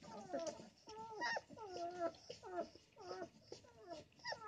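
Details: Male puppy, one of a litter outgrowing their first box, upset as his mother sits in his favorite sleeping corner; rising and falling whines and whimpers, tonal and wavering, about one every second, fairly quiet in a small room.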